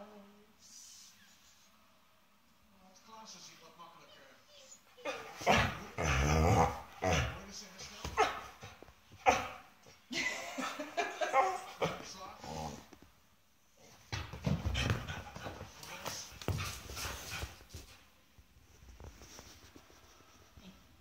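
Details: Tubbie, an 11-year-old Schapendoes that still behaves like a small child, gives rough, broadband bursts of barking and grumbling in two spells, with quieter stretches and a person's voice around the outbursts.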